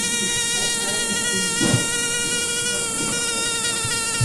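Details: A fly buzzing, a steady droning hum with many stacked even overtones, slightly wavering in pitch and held continuously without pause, with faint low knocks beneath.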